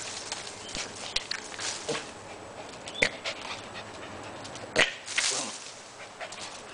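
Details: Mini Pit Bull dog panting and snuffling in short breathy bursts, with a couple of sharper clicks or taps near the third and fifth seconds against a quiet indoor background.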